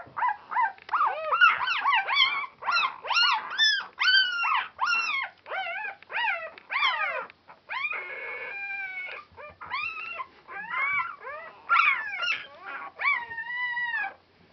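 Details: Noisy four-day-old Border Collie pups from Clannad Border Collies, recorded on Super Sunday 2012: a nearly continuous chorus of rising-falling whining squeals, rapid and irregular, with one longer steady whine midway and brief pauses.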